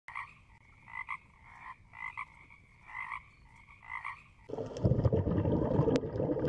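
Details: Frog calling: short nasal croaks in pulsed bursts, repeated roughly once a second for about four seconds, then cut off by loud rustling and handling noise.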